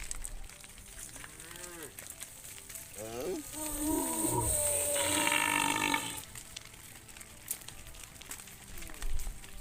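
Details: Hundreds of tame cows heading back to their farm pen in the evening: a brief moo, then a long, loud, wavering bellow lasting about three seconds, with a later moo and steady field noise and hiss behind.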